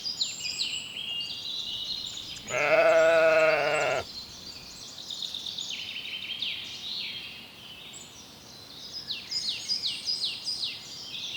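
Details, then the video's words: Lambs grazing in a cool green forest; a single loud, wavering bleat lasting about a second and a half rises over continuous high chirping birdsong. "Sounds of sheep bleating"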